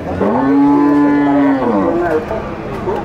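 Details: A single sustained, steady moo lasting over a second from a bull at the Nueva Guadalupe livestock market in El Salvador, ending in a short fall, with a faint crowd murmur.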